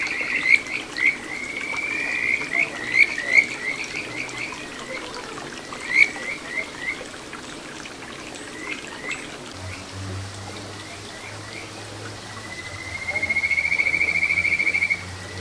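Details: Kajika frog of a little satoyama brook in Ichihara, Chiba, Japan, June 2022: scattered bursts of rising chirped notes, fading to sparse calls, then a long rising trill near the end; running water and a low hum behind.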